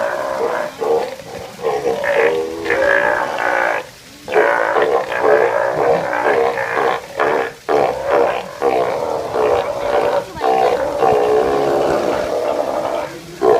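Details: Steller sea lions giving continuous deep, hoarse, groaning roars from several overlapping animals, with brief pauses near four and seven seconds and a dense chorus throughout.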